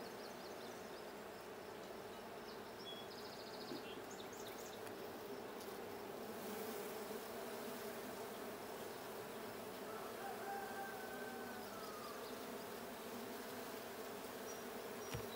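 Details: Continuous drone of honey bees inside the Blue hive during a hive check on 6/20/22, with faint high chirps early on and a thin whistled note rising and falling in the latter half.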